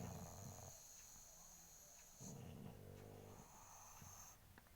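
A pug snores in low, rattling, wheezy breaths, with a faint steady electronic whine behind it.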